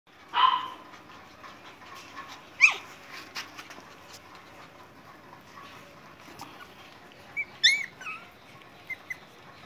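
A Chow Chow puppy gives a few short, high yelps and squeaky whines, spaced irregularly.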